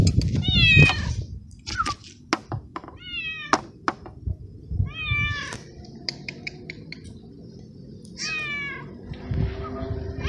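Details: Small young male stray cat from a city garden, purring and meowing after a meal; five short bent meows spaced every couple of seconds among sharp clicks and taps, with low background rumble.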